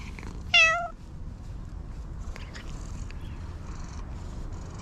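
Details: Chatty stray cat being petted outdoors lets out a single short, bright meow with a wavering tone, followed by soft rustling and faint scattered noises.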